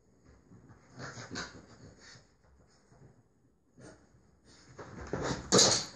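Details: French Bulldog puppy playing alone and growling to itself indoors; breathy, wheezy growls and snorts come in bursts around one and two seconds, pause, then build louder and harsher toward the end.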